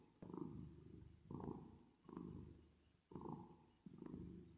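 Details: Resting, sleeping cat purring with a reverb effect. Deep vibrating rumble comes in four or five distinct surges about a second apart, each starting abruptly and tapering off.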